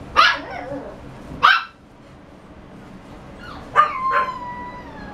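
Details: A Shiba Inu gives four loud, abrupt barks at uneven intervals, the last two closer together and ending in drawn-out, slightly falling whine-like tones, over a quiet indoor background hiss.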